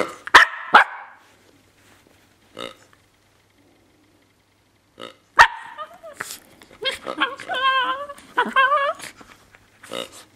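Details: Seven-month-old female Miniature Pinscher at play with her toy pig, making strange sounds: sharp barks early on, then a run of wavering, whiny, moaning yelps with brief grunts and snorts, ending in short bursts.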